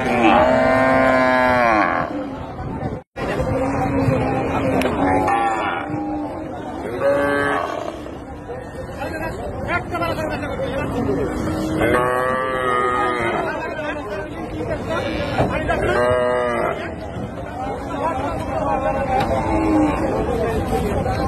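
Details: Cows being unloaded at a village cattle market: loud drawn-out moos, some harmonic and wavering, rise above a dense din of people, handling noise and other cattle.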